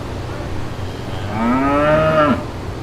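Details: A single short moo from brown cattle in a green pasture, starting low and sliding upward before cutting off abruptly, against a steady low rumble.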